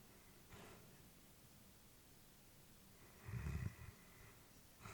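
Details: Elderly female Labrador Retriever dozing peacefully indoors, a faint breath early on followed by a deeper, louder snoring exhale past three seconds, then a soft breath at the close, quiet room hiss.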